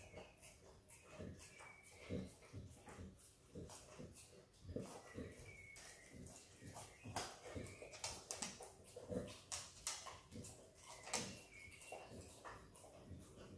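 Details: Izzy, a female Australian Kelpie x Border Collie puppy, licks and eats peanut butter: quick wet smacking clicks repeat about every two seconds, with soft mouth noises between them.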